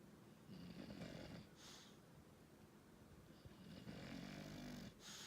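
An English Bulldog snores in rough, rattling breaths, with a faint wheezy whistle on each inhale.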